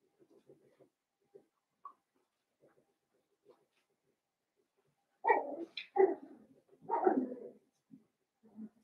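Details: Blenheim Cavalier King Charles Spaniel puppies, one of a litter of five born at New Year's, in an indoor puppy pen. Soft scattered squeaks give way to a short burst of loud, harmonic yelps and whines near the end.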